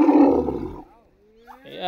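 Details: A baby Asian elephant, let out to graze on grass on an afternoon before a forest walk, gives a loud, rough, roaring cry after being startled, followed by a man speaking.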